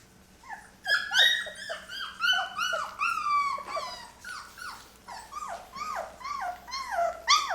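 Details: Day-23 Labrador retriever puppies from Mocha's litter, just started on puppy food indoors, whimper in a rapid chorus of high, falling whines and yelps, several overlapping, repeated roughly three times a second.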